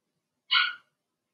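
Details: Cavalier King Charles Spaniel puppy, one of six Blenheim littermates born in March, kept in an indoor pen during potty training. It gives one brief, high-pitched yelp that fades quickly in a silent room.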